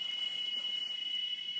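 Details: Cicadas sing in the background, a steady, high, unbroken whine holding one shrill pitch; they arrive and sing here each year, said to be asking for rain.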